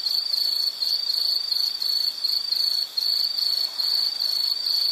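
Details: Piercing high-pitched insect trill, pulsed and buzzy, broken by short pauses roughly once a second before resuming at the same pitch.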